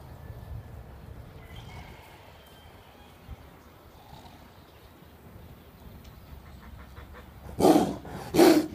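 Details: A tiliger gives two harsh, explosive snarls close together after a long quiet stretch while fighting a Bengal tiger at GW Exotic Wildlife Park, Oklahoma; the tiliger identification is uncertain.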